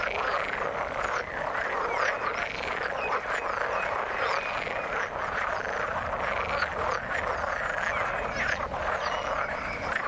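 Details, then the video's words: Many frogs calling together in the water, a constant chorus of quick, rattling croaks, with scattered short higher chirps on top. "Frog sound in the water"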